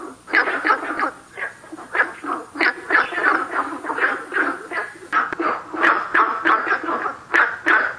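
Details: Günther's frog at Nanhegu, a dense run of rapid, rasping croaks tumbling over one another almost continuously, suggesting more than one caller, over a quiet background hum.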